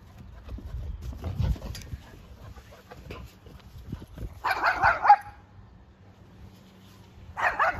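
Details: An oversized English Springer Spaniel having fun playing in water gives two loud, harsh barks in the later half, each about half a second long, after a stretch of low splashing and rumbling noise.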